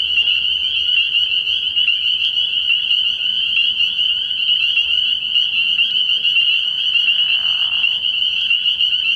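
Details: Spring peepers at a frog pond on an early-spring night, their high, bell-like peeps merging into a constant shrill chorus. A brief lower rasp appears near the end.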